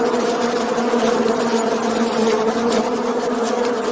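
Bees buzz continuously as they fly, a dense, even drone with a strong low hum and a fainter overtone above it. The sound holds steady without breaks, like many wings beating together.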